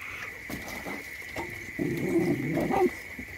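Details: Puppy sleeping outside while it rains: a low, throaty whimpering grunt swells for about a second in the middle, with softer murmurs before it, over a steady high-pitched hum and scattered faint ticking.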